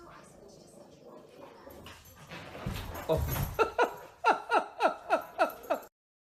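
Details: Dog giving a quick run of about seven short, sharp yelping cries, each sliding downward in pitch, packed into the final two seconds after a stretch of muffled rustling, handling noise and faint background voices.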